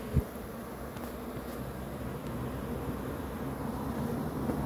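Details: Honey bee swarm humming beneath a heavier low rumble, the buzz continuous and level, with a single short thump near the start.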